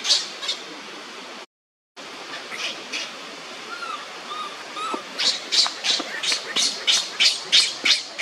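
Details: A young monkey cries on the ground as another monkey torments it. Scattered sharp squeals are followed by a few soft, lower wavering notes, then a quickening series of high, harsh cries at roughly three per second.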